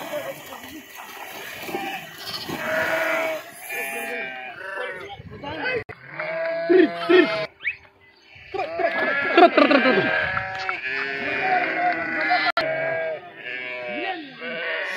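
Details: Many sheep leaping into a river and swimming, with goat kids among them; dense chorus of harsh, wavering bleats, some short and some stretched, overlapping continuously, with human voices in between.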